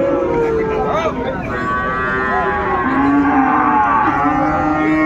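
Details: Sahiwal bull calves at the Ambari cattle market in Dinajpur, Bangladesh, on 6 January 2024, being bought and sold: drawn-out harmonic moos rise and fall amid overlapping crowd chatter and bargaining voices.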